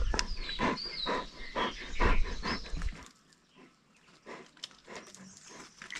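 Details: Spectacled bears (Andean bears) fighting over food treats give a quick run of sharp, pulsing squeals through the first three seconds, then fall to softer, sporadic sounds.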